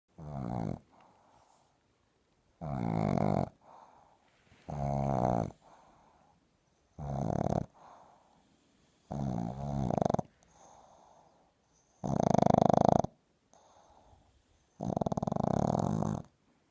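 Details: A sleeping Boston Terrier puppy snores at nap time in loud, rasping bursts, each a second or so long, every two to three seconds.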